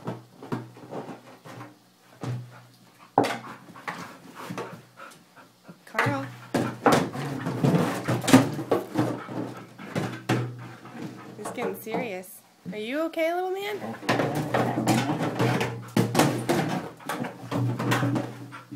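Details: Wrigley, a male Border Collie, attacks a 5 gallon water jug in play; dense clattering thumps and scrabbling run throughout, broken by a wavering rising-then-falling whine midway, with a person talking over the dog.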